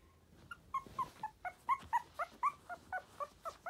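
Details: Sturdy-built Tiny Poodle whimpering rapidly, quick nasal whines around four per second, starting soft and growing louder and more insistent, with a faint background hum.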